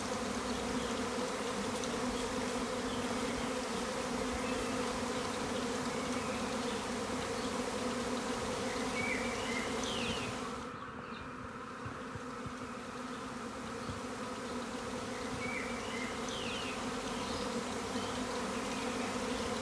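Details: A massive swarm of thousands of honey bees outside an upstairs window in a garden on April 26, 2020, making a loud, dense, steady droning hum before settling in a tree.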